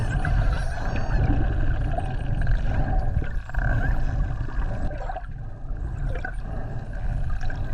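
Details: Underwater chatter of spinner dolphins met on a dolphin swim around the Ogasawara Islands, 26 December 2020: a wavering, high, harmonic-rich whistle near the start, then scattered faint clicks against a deep, constant roar of water.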